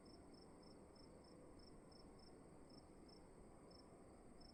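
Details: Cricket sound in a room: high, short chirps spaced slightly irregularly, roughly two to three per second, with faint steady noise beneath.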